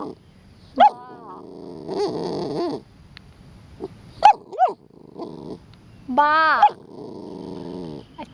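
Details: A Pit Bull biting a water sprinkler gives low growls mixed with sharp whining yelps and a rising, harmonic whine, among spray noise and a woman speaking Thai.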